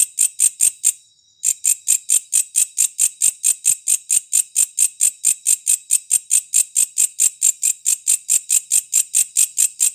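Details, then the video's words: A walang kecek bush cricket (katydid) in three variations, played as a master recording for songbirds, gives a steady run of dry, high, rasping chirps, about four per second, with one brief pause near the start. "WALANG KECEK 3 VARIASI"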